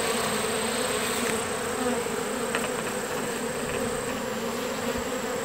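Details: Steady droning buzz of many honeybees from a captured swarm getting used to a new hive on a farm last summer, with a few faint clicks over the hum.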